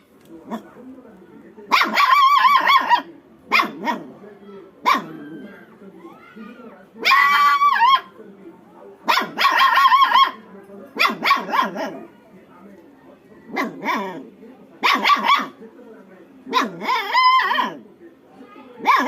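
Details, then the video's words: Angry little puppy in a village barking in short bursts, high harmonic yaps repeated roughly every one to two seconds, with growly low noise between and faint voices. "angry little puppy"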